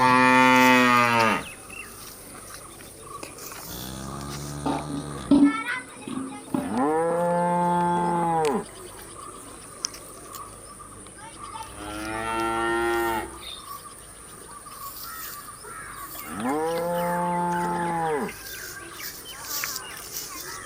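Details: Domestic cows moo while eating, five drawn-out, rich harmonic moos of one to two seconds each, some rising then falling in pitch, spaced by short pauses, with a faint steady high-pitched hum in the background.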